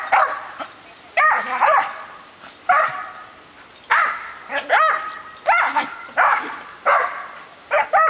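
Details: Female dog, normally calm and rarely barking, goes wild while the garden is watered with a hose sprayer: sharp high yipping barks in bursts roughly every half second to second, with a hissing hose spray and brief human voice.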